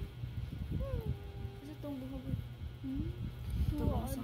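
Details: Domestic pet cats indoors in a small room; a series of drawn-out meows with bending, wavering pitch, some rising then falling, over a steady low hum, with people talking in Filipino nearby.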